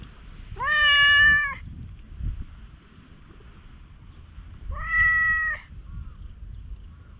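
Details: Stray cat at a rain-soaked campsite in Japan, tanuki-like in looks and seeking affection; two clear, flat meows roughly four seconds apart, each lasting close to a second, over quiet outdoor background.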